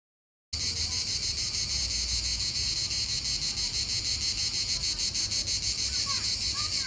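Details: Cicadas singing at Vasto Marina, Italy: a dense, continuous high buzzing chorus with a fast, even pulsing throughout, starting abruptly after a brief silence; faint chirps in the background.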